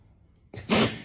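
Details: A clingy pet dog that follows its owner everywhere gives one sharp, breathy snort. It is a short burst of rushing air after near silence, in a small quiet room.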